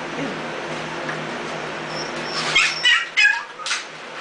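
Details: Young puppies, two days shy of three weeks, from Ella's mixed litter, wobbling to their feet; a quick cluster of thin high squeals near the end after quiet hum.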